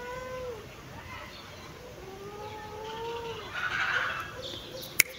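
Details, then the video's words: Kitten sunbathing in its favourite place, giving drawn-out, harmonic meows: a short one at the start, then a longer, slightly falling cry around the middle, with a faint rustle and one sharp click near the end. "My cute kitten meowing, sunbathing"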